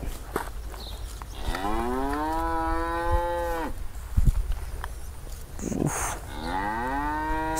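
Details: Angry cow trapped in an irrigation ditch in a rural area at the foot of a mountain near Simpang Tiga. It gives a long, loud, rich moo that rises then holds steady for about two seconds, with a second moo starting near the end. Light background noise.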